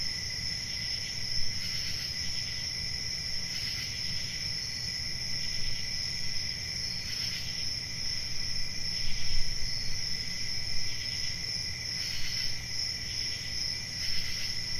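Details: Summer-night cricket chorus, a continuous high trilling with short louder bursts every couple of seconds, set against a fairly strong low rumbling noise that swells midway.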